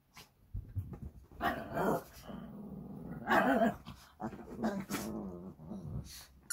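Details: Shih Tzu brothers at play indoors on 12 April 2023: throaty growls mixed with short, tonal, yelping barks in loud bursts near the start, middle and end, with quieter grumbling between them.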